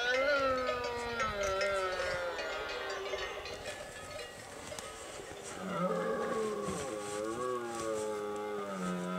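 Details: Red deer bellowing in the Pyrenees at the end of September, breeding season, in mountain summer grazing land; deep, drawn-out roars with wavering, descending harmonics, one long bellow then a second rising-and-falling roar, faint cowbells behind.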